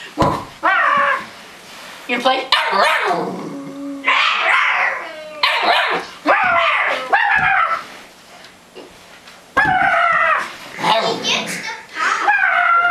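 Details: Two dogs, Max and Izzy, chase each other in a wild play session. They give high, wavering yips, whines and short barks in bursts, while people talk and call out over the dogs.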